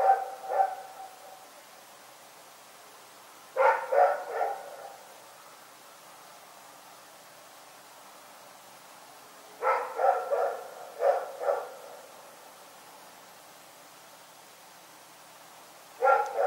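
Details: Rex, a dog, barking in the night: short bursts of three to four sharp barks separated by long quiet gaps, with nothing else heard.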